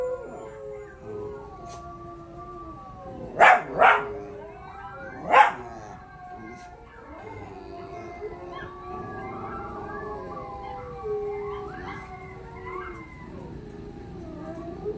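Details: Pups answering a howl challenge with overlapping, wavering tonal howls that drift up and down, broken by three short sharp yelps early on, over a continuous low background rumble.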